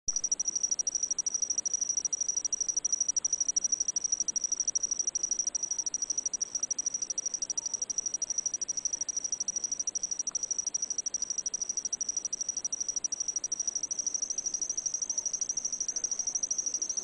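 An insect sings a steady, high-pitched trill of rapid pulses as a love song.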